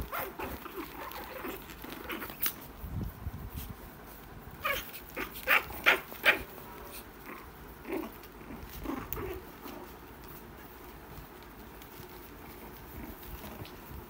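A Shih Tzu puppy gives a few short, sharp yaps and whines in a quiet indoor room.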